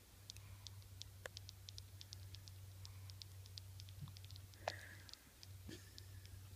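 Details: A sleeping 7-week-old female Weimaraner puppy, dreaming and suckling in her sleep, makes soft, rapid clicking suckling noises over a steady low hum.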